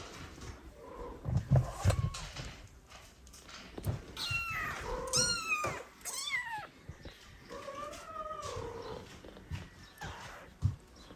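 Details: Older domestic cat being introduced to adopted foster kittens sharing her room; a run of meows, some high, thin and falling, others lower and drawn out, spaced irregularly over about ten seconds, with occasional thumps and handling noise.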